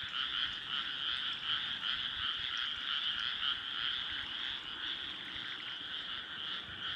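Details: Rice-paddy frog chorus on an early summer night in Nara Prefecture, Japan, 25 May 2024, moonlight over the fields; a continuous, thick wall of overlapping croaks with no single caller standing out.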